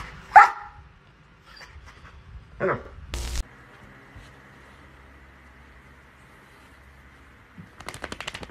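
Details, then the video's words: Pet dog rousing its sleeping owner lets out a sharp bark, then a second muffled one, followed by a thud and a steady low hum of indoor noise. "Cute ANNOYING DOGS WAKE UP OWNERS 😂 Cutest Fur Alarm Clock"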